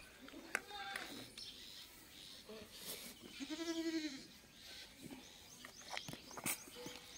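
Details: Domestic goat bleats while being treated with medicine for a fungal skin infection: one wavering, tremulous bleat lasting under a second, surrounded by a woman's speech in Hindi and handling noises.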